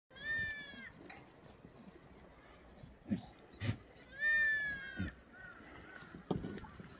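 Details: Black goats on a free-range farm on the slopes of Muchuksan, Sangdong-myeon, Gimhae, South Gyeongnam, Korea, on a clear Tuesday morning in the exercise yard; two loud wavering, harmonic-rich bleats about four seconds apart, with scattered knocks and thuds between.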